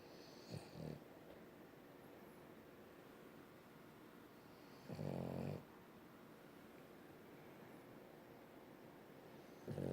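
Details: A French bulldog snores in its owner's arms with low, rasping, buzzy breaths spaced several seconds apart.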